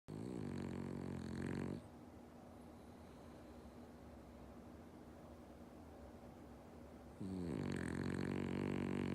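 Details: Omochi, a male French Bulldog born 13 September 2013, snores loudly while asleep: two rough, rattling snores, one opening and one closing the stretch, with a quiet pause of about five seconds between them.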